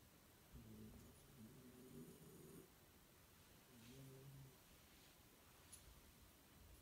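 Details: A Shiba Inu snores with her eyes open, lying relaxed in a pose that looks uncomfortable during a daytime nap, giving low, rumbling breaths, two drawn-out snores a couple of seconds apart.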